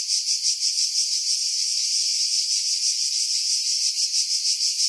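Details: Cicadas in July 2018 among pine trees 50 m above the sea, Pefkos Bay, Skiros Island, Greece; an intense, high-pitched metallic buzz swelling and fading in rapid rhythmic pulses, about three each second.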